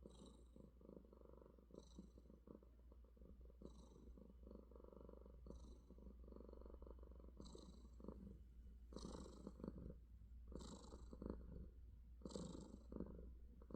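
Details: Morning purring from an affectionate pet cat, a continuous low throaty rumble swelling and easing with each breath about every second and a half, steady and close, in a quiet room.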